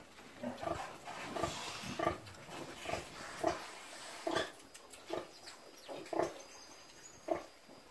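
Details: Pig (Sus scrofa domesticus), a free-range farm pig, gives short, throaty grunts repeated at uneven intervals of under a second.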